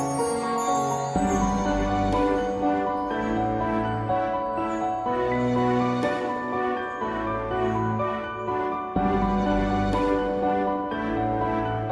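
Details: Gentle, sad background music with sustained chords and soft piano-like notes plays on, with no animal sound.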